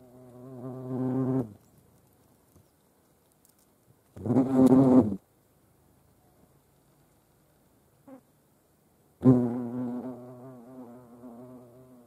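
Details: European hornets visiting a feeding place shared with ants, Dohr, Eifel, Germany, on 28 July 2022; three loud, close droning buzz bursts of one to three seconds, separated by near silence and a faint short tick.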